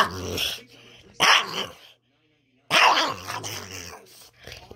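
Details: Boston Terrier. A Boston Terrier lets out strange, raspy growling noises in two loud bursts separated by a brief silence. The sounds are gravelly and sputtering, with quieter grumbles trailing between them.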